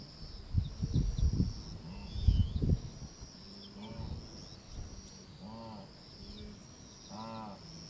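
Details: Lost wildebeest calf in southern Serengeti, Tanzania, searching for its mother against the tide of a migrating mega-herd near a hyena kill; short nasal moaning bleats come late, after early bursts of thudding noise, over a steady high insect buzz.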